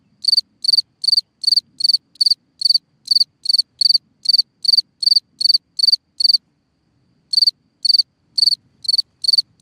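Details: A cricket singing at night from a hole in the ground: short, high, bright chirps repeated steadily about every half second, with a brief pause near the end before the chirping resumes; otherwise a quiet background.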